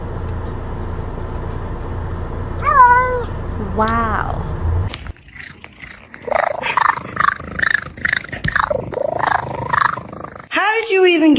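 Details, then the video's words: Cat named Hunter, perched somewhere high, answering as someone talks to it: two bent meows, then a string of chattering, warbling human-like vocalizations and a final meow, mixed with speech. "Talking Cats You’ll Ever Hear"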